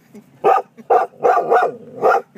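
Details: Golden retriever going crazy at a dolphin-shaped mailbox, giving about five loud, sharp barks roughly every half second, with a woman softly soothing the dog just before and after.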